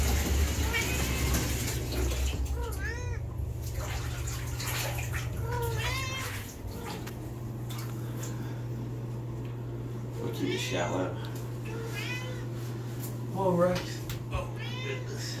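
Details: Ruckus, a domestic longhair cat, during her first ever bath, an oatmeal bath for itchy skin and dandruff, gives several drawn-out, wavering meows rising and falling in pitch, over a steady low hum, splashing water and people talking.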